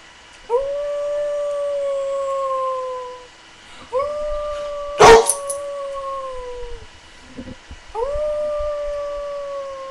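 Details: Australian Shepherd mix dog, a pet being taught to howl, gives three long tonal howls. Each rises quickly, holds steady, then slides downward over two to three seconds. A sharp bark-like burst falls between the second and third.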